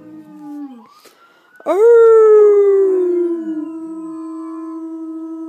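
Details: An Alaskan Malamute, prompted by howling from other videos, gives a long, wavering howl that swells sharply, then slowly slides down in pitch.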